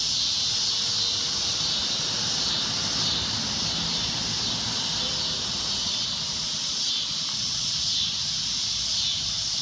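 A cicada's loud, shrill drone hisses on steadily without a break.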